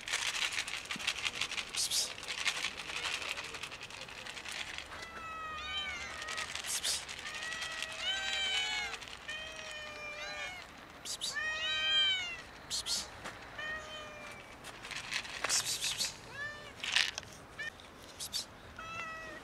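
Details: A kitten and two domestic cats meow loudly, begging for food. Many overlapping, bending, high-pitched meows follow each other rapidly and sometimes overlap, mixed with clattering and rustling noises indoors.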